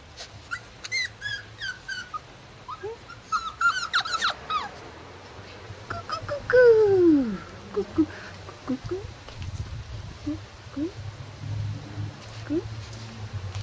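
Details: Corgi puppies, 44-day-old males, whimper and squeal in high, thin, downward-sliding whines.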